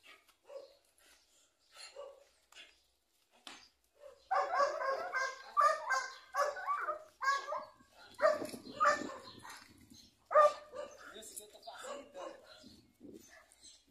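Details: Eight-month-old Belgian Malinois puppy in its first guard-dog attack test, gripping and tearing a sandal from a handler's hand; faint sounds at first, then from about four seconds a dense run of rapid, harsh barking and growling bursts.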